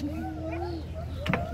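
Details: White-handed gibbons (Hylobates lar) in a willow tree on a lake island at a safari park in Hamilton, Ontario give long, sliding, rising-and-falling whooping territorial calls over a tour boat's engine rumble. These are polite warnings given before they approach intruders.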